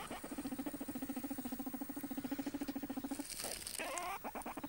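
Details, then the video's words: Cheerful pet guinea pig Tyson gives a steady, low purring chatter of rapid even pulses for about three seconds, then a short rising squeak amid scratchy rustling. "морская свинка"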